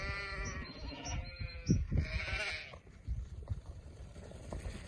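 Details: Sheep on a farm giving a couple of wavering bleats in the first two and a half seconds, followed by lower rustling and thumping noises.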